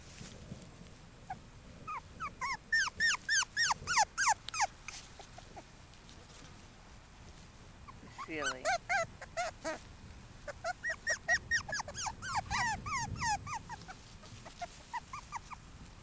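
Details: Maggie's five-week-old puppies whimper and yelp in rapid runs of short, high, bent notes, several per second, in two long bursts separated by a brief lower squeal.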